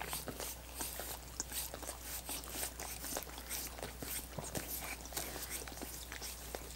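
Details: Dogs licking coconut water popsicles indoors: a steady run of wet, clicky laps and smacks, some sharper snaps spread irregularly through the stretch, over a constant low hum, with no talking.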